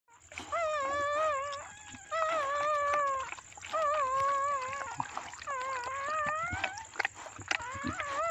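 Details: A black Chow Chow during birth; long wavering whines, each a second or so, with a shaky rising-and-falling pitch, repeated in four drawn-out bouts separated by short pauses, with a steady faint high tone behind.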